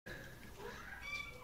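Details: Fostered house cats calling while playing with a ball in the middle of the night, around 2 a.m.; a short, faint, tonal meow-like cry rises and falls over room noise, with a person talking nearby.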